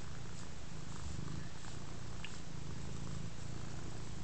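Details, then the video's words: Contented big black house cat purring as it lies on a rug and receives scratches; a deep, even, throbbing rumble with rhythmic breathing cycles and faint rustling in a quiet room. "kehrää ja vastaanottaa rapsutuksia"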